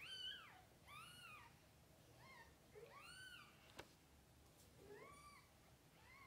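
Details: Cat family, mother cat with kittens in their first days; several high arching meows of varied length, some overlapping, with a sharp click near the middle and soft room noise.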